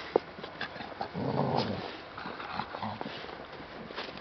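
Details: American Staffordshire Terrier producing a short throaty growl lasting under a second after a sharp click, with quieter rumbles and faint scuffling around it.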